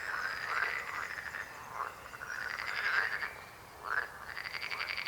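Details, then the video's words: Frog croaking chorus: continuous overlapping rattling croaks in long pulsed trains, a short dip in intensity near the end before the calling resumes. "Rechot żab. Croaking frog sound."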